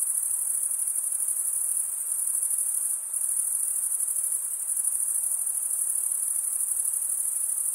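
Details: Male crickets stridulating, wing scraped against comb-like wing teeth, give a bright, shrill, unbroken trill; around the third second it briefly softens before resuming at full strength, otherwise unchanging.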